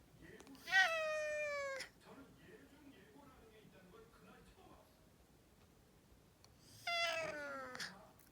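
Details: Domestic cat choking after a coughing fit, indoors, gives two drawn-out, falling, strained cries about six seconds apart, with quiet room noise between them.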